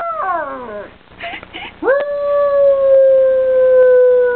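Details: A young dog howling like a coyote: a falling, harmonic-rich wail, a brief pause with soft yips, then one long sustained steady howl held for over two seconds.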